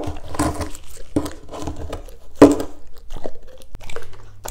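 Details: German Shepherds tasting green foods indoors: several sharp crunching bites about a second apart, followed by quieter chewing and a low hum near the end.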